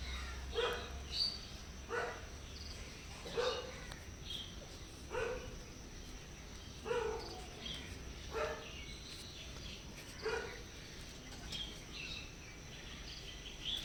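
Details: Hungry stray cats that keep visiting a house, meowing softly while seeking food and a safe place; short soft meows with a clear harmonic stack, repeated about every one and a half seconds, around eight calls over steady low background noise.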